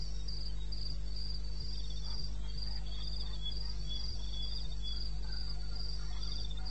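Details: Night chorus of crickets in eastern Botswana wilderness, recorded 21 May 2016 around 02:30: evenly spaced shrill pulsed chirps repeating several times a second, a second lower-pitched caller weaving in, with a continuous deep background drone.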